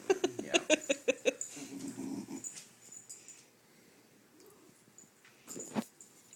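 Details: Female beagle that does not bark, grunting and squeaking to get what she wants: a quick string of about eight short nasal squeaky grunts, then breathy wheezing and a faint squeak near the end.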